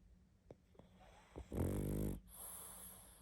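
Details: A sleeping pug gives one loud, gravelly snore after a few faint sniffs and breaths, in a quiet room.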